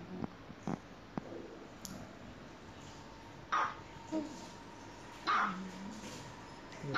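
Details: Dogs at play inside a home let out two sharp barks near the end, amid scattered taps, shuffling and a faint steady hum.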